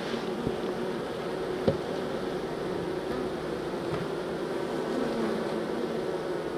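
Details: Honey bees being moved from a nucleus colony into a hive: a steady, dense, low humming drone of many bees, with a few faint knocks and clicks from the handling.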